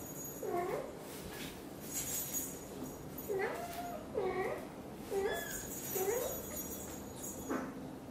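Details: British Shorthair mother Xaxa, blue golden, chatters as she grooms tiny kitten Piano: six quick, bent meows in close succession, each brief and trilling, over faint household rustle and light jingling.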